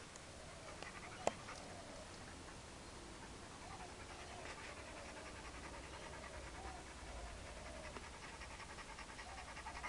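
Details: Rapid, even panting from Chad, a hyperactive four-year-old Labrador unattended, breathy pulses repeating several times a second, quiet over constant low rumble, with a brief sharp tap early on and faint soft whines.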